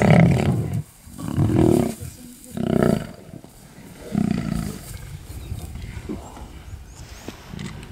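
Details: A lion feeding on another lion gives deep, rough roaring growls in pulses roughly once a second, then trails off into quieter low rumbles.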